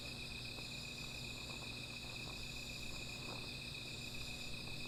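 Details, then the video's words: Night insects keep up a continuous high-pitched trilling drone by a small fire, while scattered soft crackles and pops flicker through the background. "Sound of Insects"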